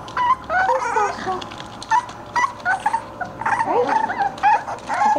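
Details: English Bulldog puppies playing indoors, giving short high yips and whimpers, with a woman talking to them between calls.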